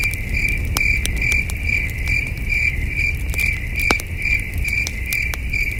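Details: Night crickets at a peaceful campsite under the stars give a continuous high, ringing chirp in rapid regular pulses, while a campfire crackles and pops throughout over a low, breezy rumble.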